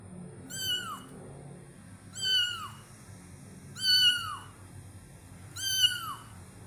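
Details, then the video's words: Kitten meowing at Taman Asuhan Residential Complex: four high, bright meows, each sliding downward with rich harmonics, repeated roughly every one and a half to two seconds over a low steady background hum. "Kitten MEOWING"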